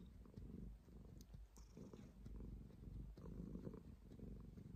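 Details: Low, continuous purr from a domestic cat, a gravelly rumble that swells and eases with each breath, with light tapping sounds scattered through.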